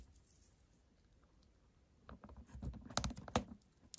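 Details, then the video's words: A white hamster eats a tartlet with carrot and beet in a close ASMR recording; after about two quiet seconds, dense bursts of sharp, dry crunching clicks follow, with rapid irregular bites to the end. "Hamster’s crunching a tartlet with carrot and beet"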